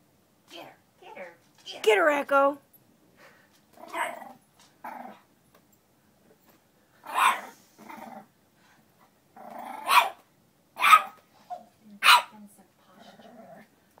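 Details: Eight-week-old female French Bulldog puppy fighting her own reflection: short sharp yaps and barks with some growly notes, in scattered bursts, mixed with people talking nearby indoors.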